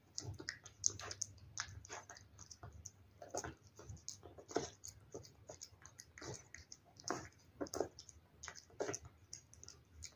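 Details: Household cat eating wet food, recorded up close inside; steady run of soft lapping and chewing clicks with irregular louder bites and brief gaps.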